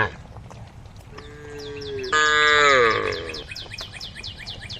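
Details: A pet cow browsing grass leaves gives a herd-calling moo. A faint steady tone is followed by a loud falling, harmonic bellow lasting about a second. Small birds chirp rapidly and repeatedly in the background.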